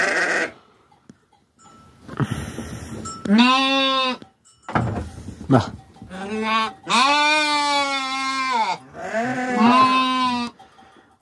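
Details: Farm sheep being cared for bleat repeatedly in wavering, drawn-out calls, some rising then falling. Faint human voices and scattered clicks are heard between the bleats.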